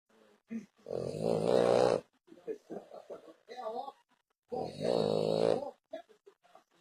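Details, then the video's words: French Bulldog snoring heavily indoors: two loud, rasping, drawn-out snores, each about a second long and roughly three seconds apart, with softer snuffling breaths in between. "Bull Dog Francês roncando muitooo"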